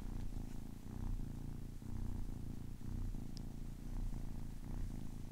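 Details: Kitten aged ten weeks purring close by, a dense low buzzing rumble broken into breath cycles about every second, with one tiny high click midway.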